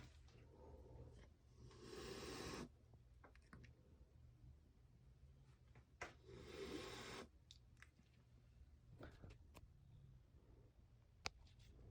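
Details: Angry mother cat guarding her kittens indoors in a bathroom, brought in from a backyard during 115-degree heat, gives two long breathy hisses of about half a second to a second each, with scuffling and rubbing sounds between them.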